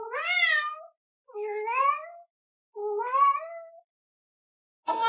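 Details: Domestic cat in a cat speaking challenge, meowing in ways meant to sound like human words: three drawn-out, clear meows, each about a second long with a rising then falling pitch, spaced roughly a second and a half apart, otherwise quiet.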